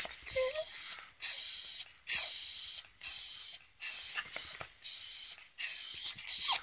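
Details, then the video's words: Female adult beagle getting angry while being teased, giving high, thin whining squeals in bursts of about half a second to a second, separated by brief silences, the pitch wavering and bending upward within several bursts. "A female adult beagle dog gets angry while I am teasing her"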